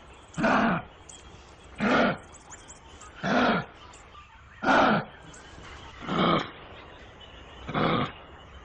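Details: Kangaroo giving six harsh, breathy, broadband grunting bursts, each about half a second long, repeated steadily roughly every 1.4 seconds against a quiet background hiss.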